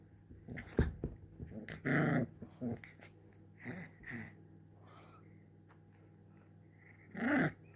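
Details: Little puppy that wants to play gives short, rough growly bursts, the loudest near two seconds and again near seven seconds, with softer grunts and snuffles between over a steady low room hum.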